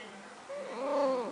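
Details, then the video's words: Snuggles, a domestic cat kept in a container while wet after her bath, lets out a long wavering meow with rich harmonics, swelling in the second half; room is otherwise quiet. "Talking Cat"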